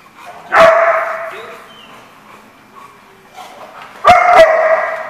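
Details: Dog barking at a kennel-like lot, recorded 12/12/14: a loud harsh bark near the start, then two sharp barks close together near the end, with quieter background barking between.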